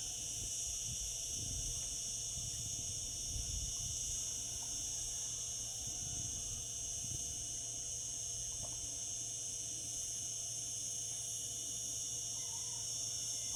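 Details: Cicadas singing in summer: a steady, unbroken high-pitched buzzing drone that holds level throughout, with a faint low rumble underneath and a few soft clicks.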